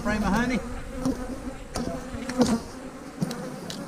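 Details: Honey bees humming during a hive-splitting day with queen cells in the splits: a steady low drone with layered overtones runs throughout, and a brief human voice and a few sharp knocks break in.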